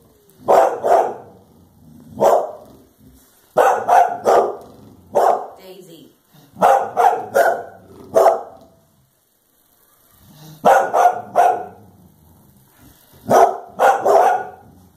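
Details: Two Clumber Spaniels confronting a cow, barking to protect their owners; loud, harsh barks come singly and in quick pairs or triplets, separated by pauses of a second or more, with a longer quiet gap midway.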